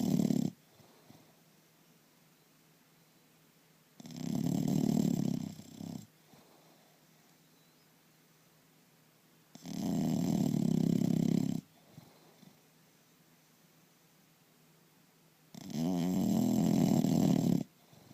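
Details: Indoors, an English Bulldog snores heavily: four long, low, rattling snores, each lasting about two seconds, spaced roughly every five to six seconds with quiet breathing between.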